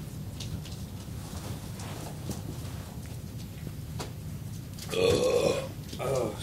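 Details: Four-week-old American Staffordshire Terrier puppies just woken up: one short squeaky whine rising then wavering near the end, with a second fainter squeal after it, over a steady low rumbling hum and scattered soft knocks.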